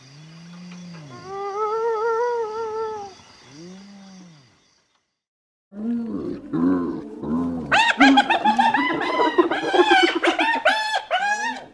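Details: Spotted hyena in Africa: two long, smooth whoops rising then falling, a short silence, then a burst of rapid, harsh, stuttering giggling notes that grows louder and busier toward the end.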